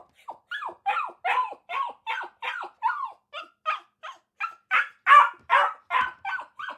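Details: Quick, yappy dog barks repeated about two or three times a second, some with a rising-then-falling tone, in a quiet setting.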